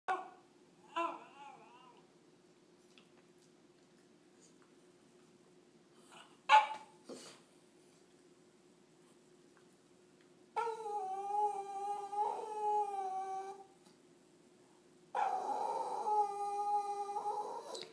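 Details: Lucy, a pet dog, whines indoors because she wants Daisy's bone after finishing her own too fast; a few short yelps, then two long, wavering, nasal whines with a sliding pitch.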